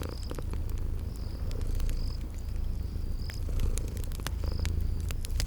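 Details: Sleeping kitties purring by a crackling fireplace in a spring garden ambience: steady low rumbling purr under sharp fire crackles, with short high chirps recurring about every second.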